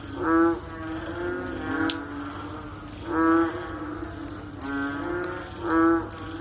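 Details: Frogs calling after rain: a few loud, bleating, moan-like notes roughly every two and a half seconds, alternating with softer, more distant calls, and occasional water-drop clicks.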